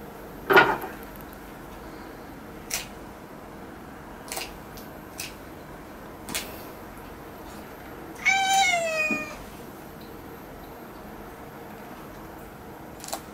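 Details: Indoor claw trimming of a pet cat: mostly quiet with scattered sharp clicks, then a single short, bright, slightly rising meow partway through.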